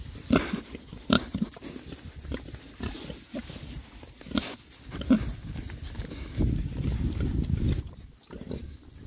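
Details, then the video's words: Six Oxford Sandy and Black pigs, a rare breed, out on a winter forage between storms; scattered low grunts and brief oinks over steady rooting, chewing and rustling noise. "rare breed Oxford Sandy and Black, happy pigs, winter forage. 6 boys. ASMR oinks."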